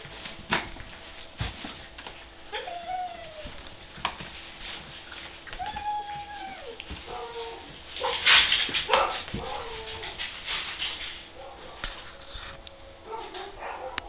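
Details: Puppy siblings aged seven weeks at rough play in a puppy area: drawn-out wavering whimpers, clusters of sharp yips and an occasional bark-like burst, mixed with thumps and rustling from the tussle.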